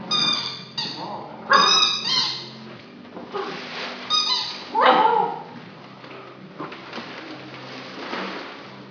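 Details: Nine-week-old Irish Setter girl practising hunting on a new toy: squeaky toy notes at the start, then rising and falling whimpering cries and snuffles, with quieter rustling between them.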